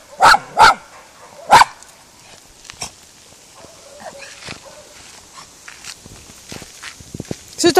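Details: Female miniature schnauzer meeting cows for the first time, trying to scare them off and failing; three sharp barks in the first two seconds, then quieter outdoor sounds, faint clicks and a soft low hum.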